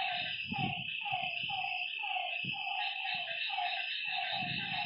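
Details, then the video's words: Frogs at a lake at night repeat short, honking mid-pitched notes in an irregular overlapping series, while a steady shrill insect drone fills the background and low dull thuds break in now and then. "Lakeside night creatures and frog sounds"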